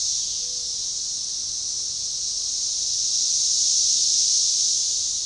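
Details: Organized, synchronizing chorus of Magicicada tredecassini periodical cicadas at a forest edge by a baseball trail near DeValls Bluff, Arkansas, June 7, 2015: a dense, unbroken high hissing drone that swells gently in loudness, with no other clear sounds.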